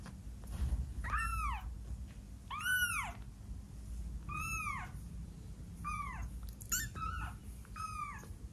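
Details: First meows of a kitten twelve days old: five or six piercing, arching mews repeated every second or so over a faint low hum and hiss, with a few light clicks.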